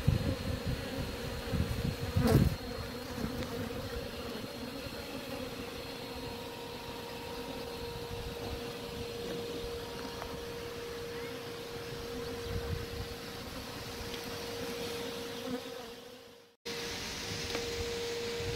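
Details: Honey bees removed live from a chimney in Shropshire, England, where the colony had built comb for years: sustained droning buzz with a steady pitched tone, a loud knock early on, and a short dropout near the end.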